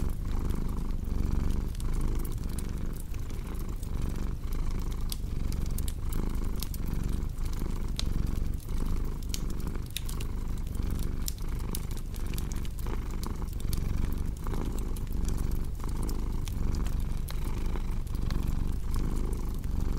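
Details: Domestic cat purring steadily, a deep continuous rumble rising and falling with each breath, set against the sharp pops and snaps of a crackling fireplace throughout.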